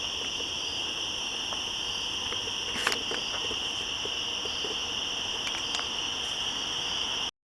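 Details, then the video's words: Woodland cicada chorus at the top of the switchbacks, 1 September 2014: several insects keep up a constant piercing buzz in two high bands, broken by a sharp click-like knock near the third second and a few faint taps later. "Cicadas Yammering At Each Other In The Woods"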